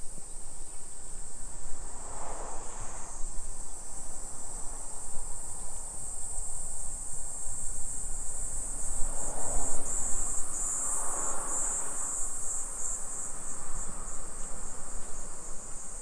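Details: Summer cicadas in a suburban neighborhood of Nisshin city, near Nagoya, Aichi Prefecture, Japan, at 2 PM on 28 July 2021 during a street walk: a continuous shrill, high drone without pause, with low rumbling swells around two and ten seconds.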